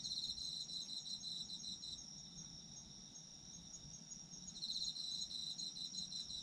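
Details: Autumn insects calling, a steady high-pitched ringing note with rapid pulsed trills at the start and again near the end, quieter stretch between, soft low background noise.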